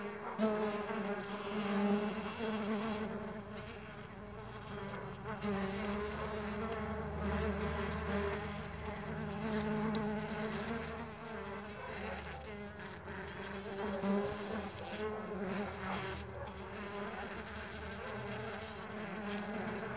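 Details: Stingless bees at a bee farm: a dense, steady hum of many overlapping wingbeats, low and droning with rich harmonics, swelling and fading slightly throughout with a faint background hiss.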